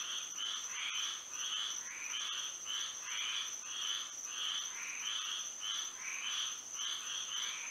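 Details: Nighttime frog chorus in Florida by moonlight: many frogs giving rhythmic, grating croaks about twice per second, calls overlapping in waves, over a constant thin high-pitched drone.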